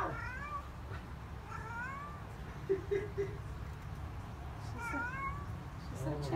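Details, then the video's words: Talkative Siamese cat indoors giving three separate short meows, each a quick upward-bending call, separated by pauses, with faint clicks and a steady low background hum. "Princess sometimes says "hello""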